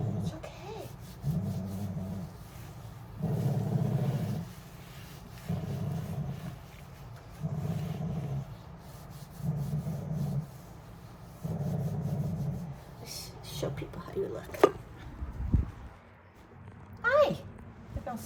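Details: Quieter grumbling from wire-haired dachshund The General during a lavender bath after leaving a shelter: low rumbling growls repeat roughly every two seconds, with rubbing, water sounds and brief words toward the end.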